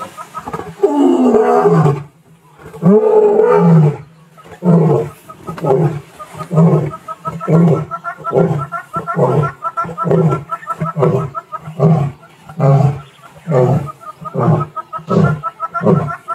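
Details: Roaring male lion, called Nwaswitshaka or Ndhzenga, on 18 March 2024: two long, deep moaning roars, then a steady series of short, low grunts, about one every two seconds, slowly fading, with faint music behind.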